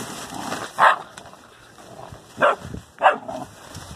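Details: Dobermann puppies from the Faberge litter at ten weeks, three sharp high-pitched yelps spaced about a second apart over a quiet background of faint rustling.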